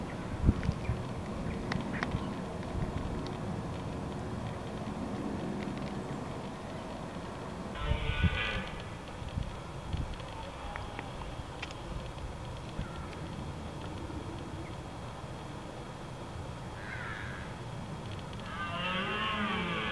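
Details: Red deer in rutting season at Windsor Great Park, recorded on a Canon T3i 600D: harsh, harmonic bellowing bursts of about a second each, heard around eight seconds in, again near seventeen seconds and at the close, over a steady low rumble like distant traffic.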